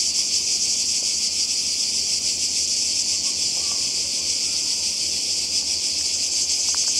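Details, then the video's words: Croatian seaside cicadas on a summer 2020 holiday: an intense, constant high rasping hum with slight wavering pulses, a few faint ticks underneath, and no pause in the chorus. "Kroatien Zikaden und Meer"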